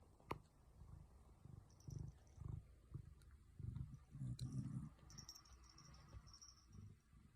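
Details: Shetland Sheepdog snoring, its snores at odds with its looks: low, rough rumbling breaths in uneven bursts every second or so, swelling into a longer, louder snore near the middle, with faint high hiss in the background.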